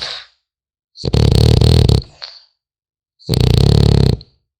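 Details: Sleeping French Bulldog puppy gives loud, harsh snores, each a buzzing low rattle of about a second with a wheezy hiss on top, separated by quiet pauses in a small room.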